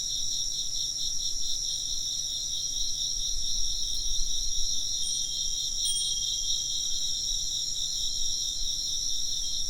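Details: A steady high insect chorus of fast, pulsing chirps plays against faint bright chime-like tones near the middle. A gentle low rumble sits underneath.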